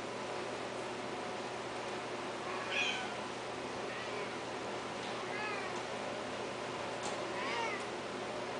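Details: Long-haired Himalayan cats offered for sale; several short, faint meows with rising and falling tones at roughly three, four, five and a half and seven and a half seconds over steady indoor background hiss.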